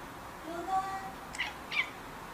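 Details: Indoor house cat crying in protest when its owner tries to pick it up: a soft, drawn-out tonal wail with layered harmonics, then two short high clicks or squeaks, over a quiet room background.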